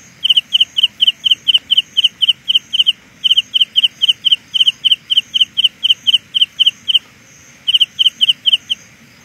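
A Carolina ground cricket sings a steady series of high, buzzy pulses, several per second.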